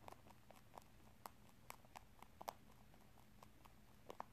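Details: Pet rabbit eating corn and rice snacks, a favourite treat given only in small amounts, indoors; crisp crunching bites repeat in short bursts of dry clicks, some louder snaps, against a quiet room hum.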